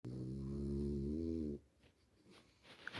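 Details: A sleeping French Bulldog gives a long, low, rumbling snore, then quiet shuffling sounds follow as someone tries to wake it.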